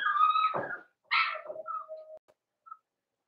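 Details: Blenheim Cavalier King Charles Spaniel puppy from a litter of five born at New Year's, in an indoor puppy pen on Theo's pick-up day. It gives a high tonal whine, then a brief yelp that trails into a thin, steady, falling whimper.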